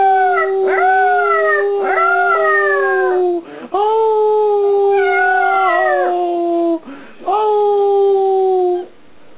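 An Alaskan Malamute puppy howls in long, steady, slightly falling notes, pausing briefly between them.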